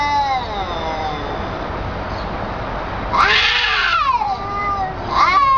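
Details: A cat's drawn-out descending wail fades, then a sudden harsh, loud rising-and-falling yowl breaks in, followed by another strident cry at the end.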